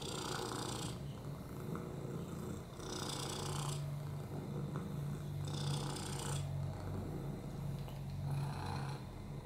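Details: Purring on a lap, Oliver, a rescued cat with FIV, a broken hip and upper respiratory infections, makes a strong deep rumble, with hoarse breathy bursts about every two and a half to three seconds.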